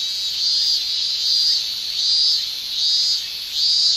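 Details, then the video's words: Japanese summer cicadas, males producing tymbal song: a piercing high buzz pulsing in regular swells, about four loud surges in four seconds, each rising then easing back into a continuous background whine. "Japan Summer Cicada Shrilling"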